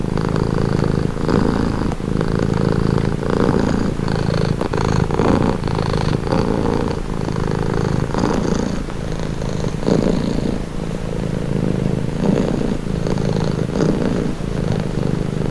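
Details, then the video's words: Domestic cat purring steadily, a deep continuous rumble pulsing in even breath cycles about once a second, with faint higher rasps on each breath and no other sounds. "Purring cat"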